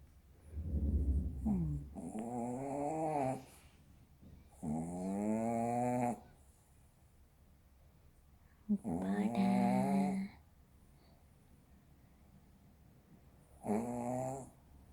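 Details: Sleeping Maltese dog snoring indoors, four drawn-out, tonal, wavering nasal snores, each lasting one to two seconds and coming every four to five seconds, with a quiet low rumble between them.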